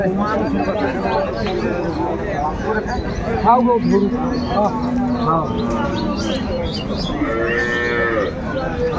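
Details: Cattle, cows and calves offered for sale at Aftabganj cattle market (haat), Dinajpur, Bangladesh, on 12/2/25: a long, low, drawn-out moo holds steady for several seconds, then a shorter, brighter call follows, over constant crowd chatter and bargaining voices.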